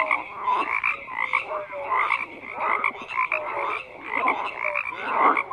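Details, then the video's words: Many frogs croak together in an unbroken chorus: grating, pulsed croaks overlapping with clear short tonal notes, bursts swelling and fading roughly every second, no wind, voices or other animals. "FROGS CROAKING"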